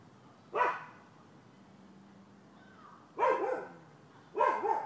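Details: A dog barks at the neighbors' on 12/7/15: one sharp bark, a pause of over two seconds with a faint hum, then two rough, quick barks close together.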